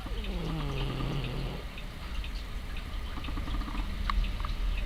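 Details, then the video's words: Sasha, a female pet cat, snores while asleep with one eye open, something she often does; one low, droning, nasal breath lasts over a second before fading into quiet room hiss. "Snoring cat sleeps with one eye open"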